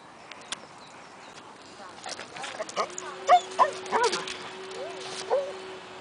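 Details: Gary, a shelter dog at The Mayhew Animal Home awaiting adoption, gives a few short, sharp yelping barks in quick succession midway through, over a steady low electrical hum with faint human voices in the background.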